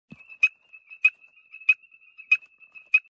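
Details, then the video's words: A frog, seen close up inflating its balloon-like vocal sac, gives short, sharp, clicking notes at a steady pace, roughly every two-thirds of a second, over a thin, constant high ringing tone. "The balloon🎈 of Frog 🐸 and voice"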